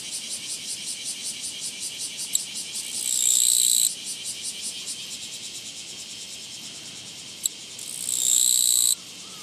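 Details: A Japanese katydid, met on a walking path on 24 August 2017, sings high, dry ticking pulses broken by loud, sustained buzzes.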